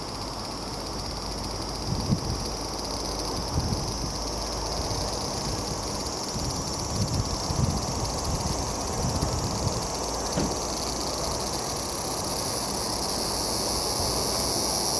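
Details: Large brown cicada singing in autumn, no longer with summer's vigour but straining out its last calls; a steady high sizzling hiss runs throughout beneath low rumbling background noise with occasional soft thumps.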